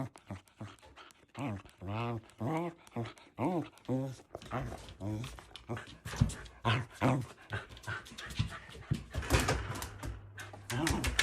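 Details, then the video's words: Shetland Sheepdog puppy, male, barking excitedly whenever his owner sneezes; a quick run of harmonic, arched barks in close succession, then rougher, denser barking mixed with human voices throughout. "くしゃみでワンワンほえる / Nico gets excited and barks"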